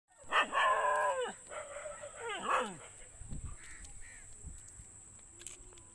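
A dog gives a run of loud, rough barks, some sliding up and down in pitch.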